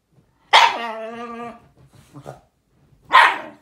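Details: A Shiba Inu's sharp bark runs straight into a level, nasal whine about a second long, then a few soft grumbles, and a second abrupt bark closes the sequence.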